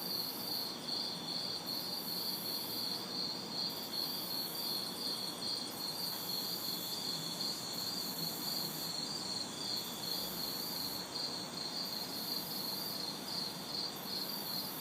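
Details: Summer night insects, crickets and cicadas, recorded in a backyard in the city on a hot, humid night: continuous rhythmic chirping with rising and falling high buzzy bursts overhead and light traffic far off.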